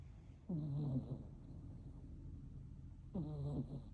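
Sleeping kittens snore with soft, low, raspy breaths that come roughly every two and a half seconds.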